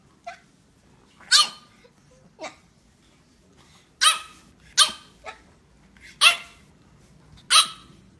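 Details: A French Bulldog with attitude talking back, giving sharp, bright barks at irregular intervals, about seven over eight seconds, some in quick pairs, in an otherwise quiet room.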